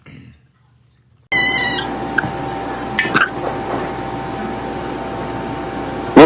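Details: Domestic cat indoors: one short, harmonic meow about half a second long. A steady electrical hum and broad background noise follow, with a few faint clicks and a sharp knock at the very end.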